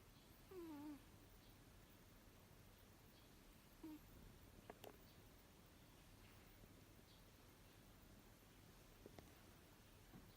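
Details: Runrun, a six-year-old Abyssinian cat, snores in sleep: two brief, falling whistled breaths about three seconds apart, then a few soft clicks and taps against a low room hum.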